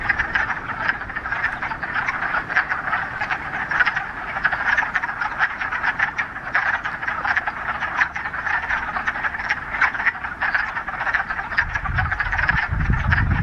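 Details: Many frogs calling together from a Ramapo Mountains pond in mid-March, first warm spring day after a week of rain: an unbroken, crackling wall of overlapping croaks, steady throughout, with a low rumble entering near the end.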